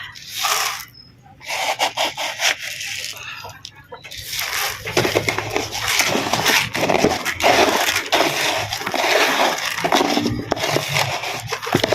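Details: People talk over scraping and rubbing sounds, with no clear animal call.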